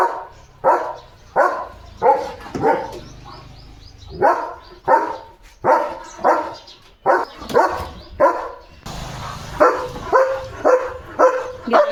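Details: Leo, a German Shepherd kept as a pet, barks while racing around his yard at a dog he has seen outside. Around sixteen sharp, resonant barks follow one another at a fairly steady, urgent pace.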